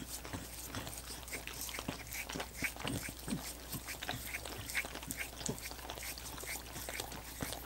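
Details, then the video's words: Rapid, wet lapping from dogs working on coconut water popsicles: dense bursts of crisp clicks and smacks, with no gaps and no voices. "ASMR Dogs Licking Coconut Water Popsicles"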